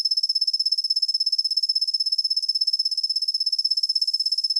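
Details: Kusa-hibari cricket (Svistella bifasciata), whose soft call is heard mostly from daybreak into the morning, producing a continuous, high-pitched pulsing trill with rapid, even beats throughout; nothing else audible.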